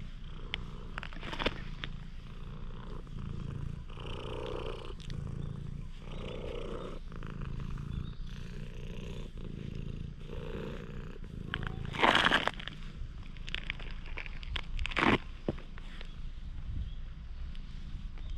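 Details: Stray cat met by chance in a parking lot, warming to a person, recorded on a GoPro HERO8: steady low rumbling purr with soft rhythmic pulses roughly every second, broken by brief sharp rustles and scraping noises.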